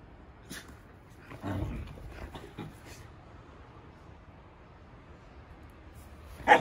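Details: Komugi, a three-year-old red female Akita, vocalizes to pull her brindle sister Patako's attention back from a bird in a bush: one brief low grumbling sound, then soft scattered clicks and a sharp knock at the end.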